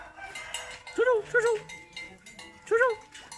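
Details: Little pet dog barking at people with short high yaps, three quick ones then a single yap after a pause, over a background of voices and clatter.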